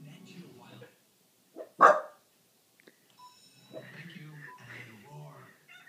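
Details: A West Highland White Terrier barks at a cat on TV, giving a single sharp, loud bark between stretches of people talking.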